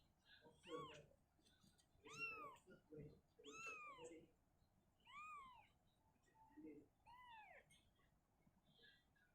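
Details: Mother cat Shizuka, unhappy living in a cabinet, carries her kitten back to an open spot; five or six arched meows come in an uneven series, roughly every second or two, in a small quiet room.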